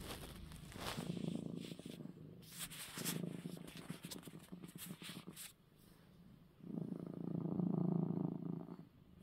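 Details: Coco, a male pet cat, purring after receiving his eye medicine; a low rumbling purr swells and fades, broken in the middle by sharp rustling and handling clicks, then returns loud and steady at the end.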